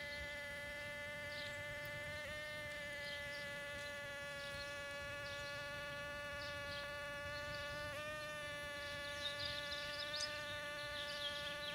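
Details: Mating bumblebees in a back yard give a continuous level buzzing drone with strong overtones and brief pitch dips, and light scattered high chirping behind it.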